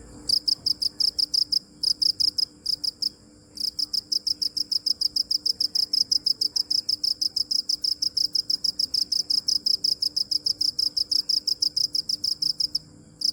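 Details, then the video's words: Cricket chirping, a long run of regular high pulses about three per second, with a few brief breaks early on before settling into a steady rhythm; faint low hum beneath. "Cricket chirping | Crickets sound original | Video Crickets Chirping | សំលេងចង្រិតយំ | សត្វចង្រិតយំ"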